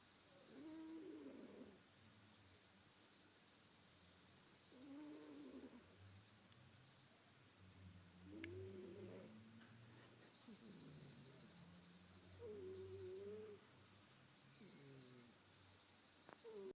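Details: Sleeping house cat snoring steadily: low wheezy breaths repeated roughly every four seconds, some carrying a faint squeaky whistle, over low room hum.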